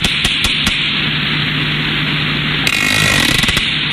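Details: A small group of three or four sperm whales makes sharp, knocking clicks, like a hammer striking a nail, over a steady underwater hum.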